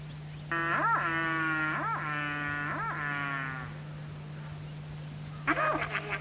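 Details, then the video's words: Male barasingha, or swamp deer, calling out to receptive females in heat: three harmonic, bugle-like calls, each with short arching swoops, over about three seconds, then a brief fourth call after a pause, above a steady low hum. "Male Barasingha calls out to receptive females in heat"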